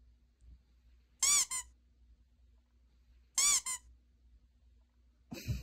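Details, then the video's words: A puppy gives two high, thin squeaks about two seconds apart, each a quick double note with a wavering pitch, in otherwise quiet surroundings, followed by a short scuffing thump at the end. "툭하면 심장뿌시는 강아지"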